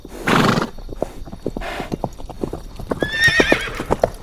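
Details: Horse heard with a burst of breathy noise, then steady clip-clopping hoofbeats, and near the end a brief high, wavering whinny over the hoof sounds.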